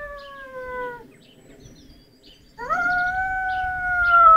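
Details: Lurcher long dog howling at home: the tail of one drawn-out howl sliding downward, a second of near silence, then a fresh howl swoops up sharply and holds a steady, slightly rising tone to the end.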